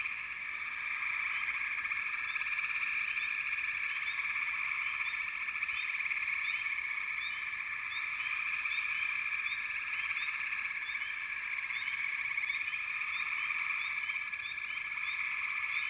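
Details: Massed frog chorus in backwater, unbroken trilling with many short rising chirps stacked above, volume steady throughout.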